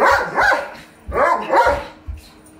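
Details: During play between a miniature pinscher and a large Doberman pinscher, loud, harsh, growling barks come in two quick doubled bursts.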